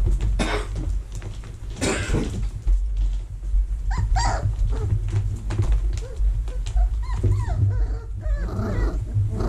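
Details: Young vizsla pups in a whelping box, early October 2020, while the box is cleaned and vacuumed; a series of thin, wavering whines and squeaks, several rising then falling, against constant low droning hum and knocks.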